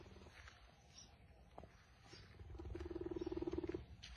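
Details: Leopard shown as a friend to a person, giving a low throbbing, rapidly pulsed purr-like rumble that swells over the last second and a half, with faint scattered clicks and handling noise around it.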